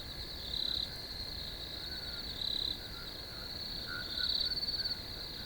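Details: A cricket in a field gives a continuous high drone, broken by a few brighter, louder chirp bursts each lasting under a second. A broad hiss of background noise runs throughout.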